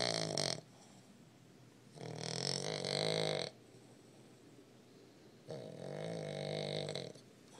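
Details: A Boston Terrier pup snores loudly in rasping, rattly breaths, each lasting over a second, separated by quiet pauses.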